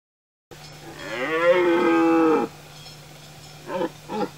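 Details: Male red deer stag in the rutting season in the Tuscan-Romagnol Apennines, Italy, giving a loud, drawn-out harmonic bellow that rises then falls over about two seconds, followed by two short gruff grunts.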